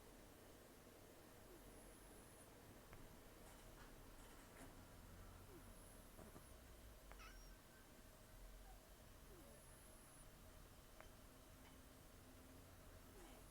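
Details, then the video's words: Taro, a rescued domestic cat estimated at 10 to 14 years old, taken in during October 2024, with almost no teeth after periodontal disease and long outdoor life, snores while asleep: low, rough, steady breathing rumble with heavy nasal breaths throughout. "ねこのいびき 猫 いびき"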